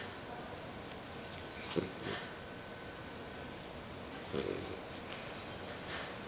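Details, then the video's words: Sleeping beagle snoring, two short snorting breaths roughly two and a half seconds apart, each a brief rough rasp, against a quiet steady indoor hum. "beagle roncando"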